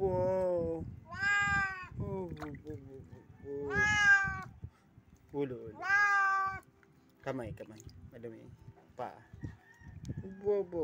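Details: House cat with a captured bat, uttering several loud drawn meows between shorter chirping mews, overlapping with human voices talking nearby.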